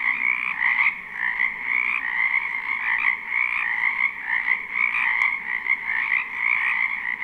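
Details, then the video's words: A springtime wetland chorus of frogs, captured live with no looping: overlapping croaks merge into a steady, shimmering drone that swells and dips every second or so, plus one sharp click near the end. "Ambient Noise for Sleep Frogs"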